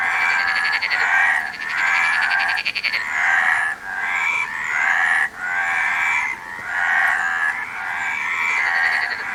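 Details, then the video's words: Frog calls in a dense, rasping series: about seven buzzy, pulsed croak bouts with a finer trilling stretch early on. Brief breaks separate each bout from the next. "Frog Sound"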